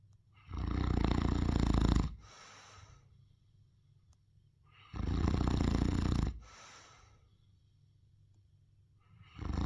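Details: Ernesto, a Neapolitan Mastiff, asleep and snoring: long rough low inhalations of about one and a half seconds, spaced roughly four seconds apart with quieter breathing between, in a quiet indoor setting.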